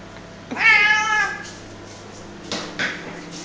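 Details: Male pet cat playing tug of war with a duster, letting out one strained, drawn-out wavering meow lasting almost a second, followed by two short soft grunting sounds indoors.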